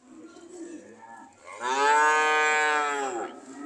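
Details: Cows said to be ready to leave; soft murmuring first, then a strong drawn-out moo of about a second and a half, slightly rising then falling at the end.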